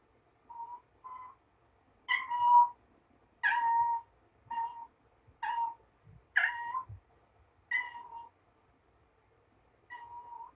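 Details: Mama Ros, a foster mother cat, talks to her little yellow toy ball Sunshine after carrying it around a room indoors: a string of about nine short chirping meows, some rising and louder, spaced by brief pauses.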